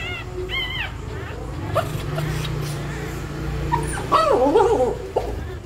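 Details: Pregnant dog in labour scratching a nest before giving birth; two brief high whines early, then a wavering, bending whimper near the end over a low steady hum and scratching.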